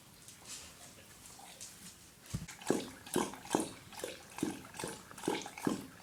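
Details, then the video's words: Dog drinking water from a bowl: after a quiet start, a steady run of wet lapping slurps, roughly one every half second, each a short splashy burst. "Dog drinking water from bowl"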